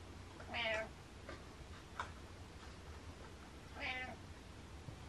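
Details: Two clear meows from the cat Butters, each a brief wavering harmonic cry, about three seconds apart with faint taps and low room hum between.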